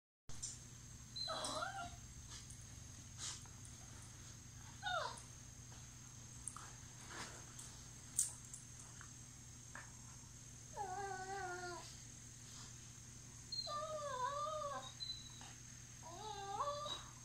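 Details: Staffordshire terrier playing indoors with a Lab mix; scattered soft grunts and thumps, then several wavering, high whining whimpers in short bursts, over a steady electrical hum.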